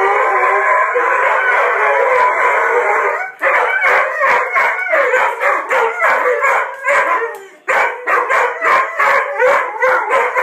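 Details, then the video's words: Two Brittanys howling, a steady blended howl for three seconds, then breaking into rapid choppy yips and short barks repeated several times a second, with one brief pause. "Brittany howling"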